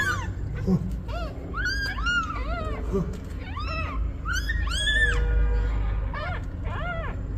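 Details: Newborn kittens mewing near their mother cat as she asks for help: rapid, overlapping rising-and-falling squeaky mews, about two or three a second, over low steady hum.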